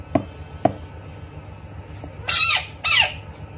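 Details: Bullfrog screaming while fighting a rat: two soft knocks, then two loud, harsh screams, each lasting about a quarter second and falling in pitch, about half a second apart, over a quiet background.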